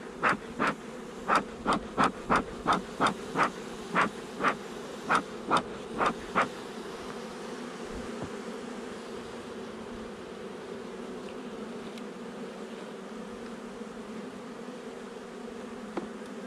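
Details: A buzzing honey bee nuc, installed a little over a month before, inspected on 8 July 2020; the droning hum starts under a rapid series of rhythmic puffs that stop after six seconds, leaving the steady buzz alone.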